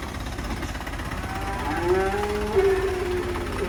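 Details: Black sacrificial cow being unloaded from a truck at a rural pen lows in a drawn-out, slightly rising moo over a steady rumble of engine noise and background chatter.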